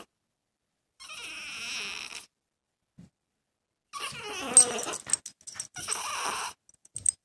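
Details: Male dog shut away from a female in heat in the next room cries in a long high whine, then a broken run of wavering whimpers and yelps, with a few short sharp sounds, inside a house.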